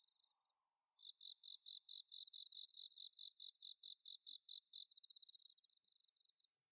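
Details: At Inba-numa paddy fields in Chiba, Japan, a bell cricket sings on an autumn night, recorded on a Zoom H6: after a near-silent start, quick bright high-pitched chirps repeat several times per second.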